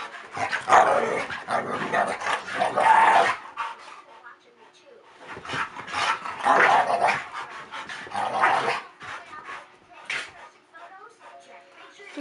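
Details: Rough play between two pet dogs, five-year-old Kasper and Zoey, nearly three, a Staffordshire Bull Terrier and a Collie cross; ragged growling and snarling bursts, then quieter gaps, with some human speech.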